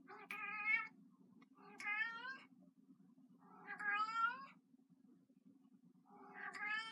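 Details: Kitten, a 15-year-old pet cat indoors who still loves her toy mouse, gives four drawn-out harmonic meows spaced about two seconds apart, each rising then falling, over a steady low indoor hum.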